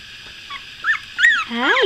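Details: Two-week-old puppies, eyes newly opened, in the morning: brief high squeaks, then a rising-and-falling squeal and a run of lower, arching whines near the end.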